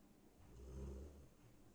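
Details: A sleeping female golden retriever, covered with a sheet, snores loudly with a deep, rumbling breath that swells and fades, likened to a lion's roar; golden retriever.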